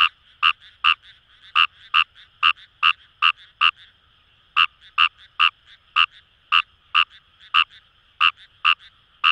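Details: Kawamura's rice frog calling in paddy fields along the Kamo River, Itoshima, Fukuoka, Japan: loud, short, bright croaks repeated at irregular intervals, about twenty in nine seconds, over a fainter background chorus of other frogs.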